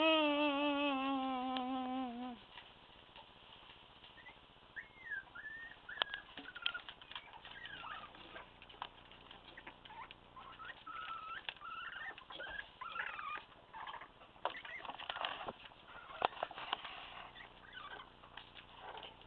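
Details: A litter of about one-month-old Staffordshire Bull Terrier puppies, two males and three females, gives a long drawn whine, then many thin, high squeaks and whimpers.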